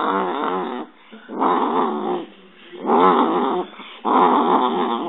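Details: Digit, an affectionate dog that loves hugs and kisses, lets out four drawn-out, wavering growl-like moans, each lasting about a second, separated by short quiet pauses.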